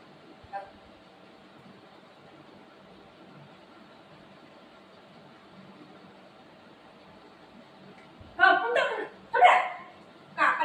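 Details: Pet dogs Buzo and Milo, a golden retriever and a shih tzu, fighting at home over their owner. A long quiet stretch ends in three loud, harsh bark bursts about a second apart, with people speaking nearby.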